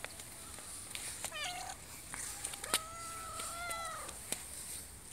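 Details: Domestic cat meowing twice: a short rising call, then a longer sustained meow that wavers slightly and drops at the end, over scattered clicks and a steady high background hiss.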